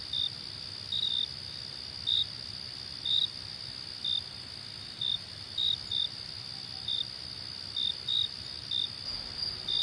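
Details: Crickets at night: short high chirps about once a second, some coming in quick pairs, over a steady shrill background trill of more crickets.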